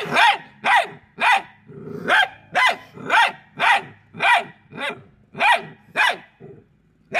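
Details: Hounds pursuing an escaping squirrel bark steadily, roughly two loud, ringing barks per second in an insistent rhythm, with one softer, lower growly note mixed in.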